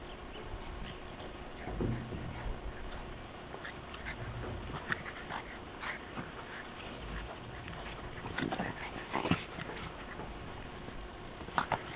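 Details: French Bulldog. A French Bulldog makes breathy snorts, wheezes and short whimpers, scattered irregularly through the recording. A steady low rumble of background noise sits underneath.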